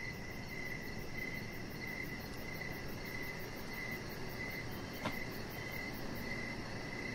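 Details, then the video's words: Evening cricket chorus beside a deck with a chihuahua puppy and decoration lights; high pulsed chirps repeat evenly over steady low noise, with a single sharp click midway. "Cricket Sounds"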